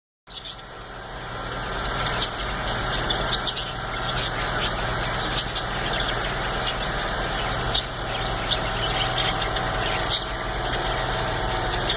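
Steady engine-like rumble and hiss with occasional clicks, and no clear animal voice.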